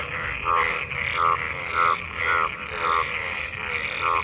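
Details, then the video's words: After monsoon rain, frogs gathered in pooled water call during mating. A nasal, buzzy croak swells and fades about every 0.6 seconds, with a denser chorus behind it. "Frog mating,Frog Sounds after monsoon rain,Sounds of toad Croak croak ! frog mating and love in rain"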